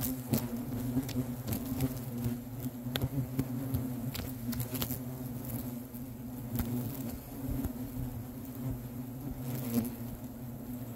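A hornet colony buzzes in agitation: a steady, deep, droning hum with scattered taps and clicks.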